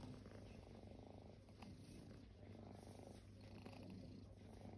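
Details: Kittens at rest, once homeless, produce a soft, even, low-pitched purr that pulses in slow breathing cycles, steady throughout with a faint higher hiss of movement.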